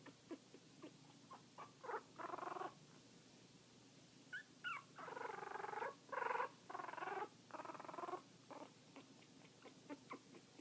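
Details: Chewy, a kitten 2 weeks 3 days old, making his odd noise, a cross between a purr and a Chewbacca growl: rough, buzzy pulsed bursts, some long and some short clicks, repeated irregularly about every half second to second.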